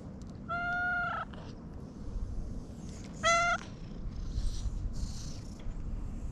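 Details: Petted domestic cat calling in a cute voice: two clean, steady meows about three seconds apart, the second shorter and louder, over a low constant hum.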